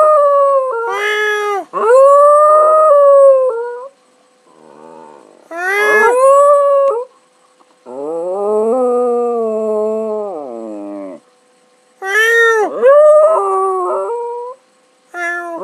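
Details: Domestic dog howls as its owner imitates meowing. Sustained harmonic wails rise and dip in several long bouts separated by short pauses, with a lower, steadier drawn-out tone in the middle and a yip-like break near the end.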